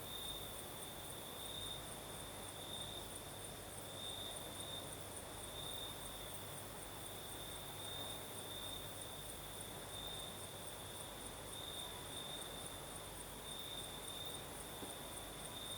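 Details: Crickets singing on a breezy night in southern Crimea: a sustained, steady high-pitched trill with slight swells in loudness, a thin pulsing shimmer above, and a low distant rumble throughout.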